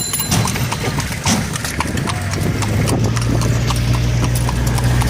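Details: Horse-drawn cart ride at night: brisk, somewhat uneven hoof clops roughly once a second, with a low steady hum growing beneath them in the second half.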